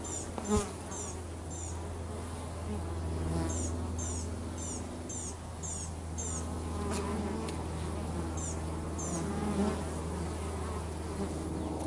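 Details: Working bees at home give a continuous low, humming buzz. Bright chirps come in short bursts above it, repeated in small groups through the recording, and there is a brief thump near the start.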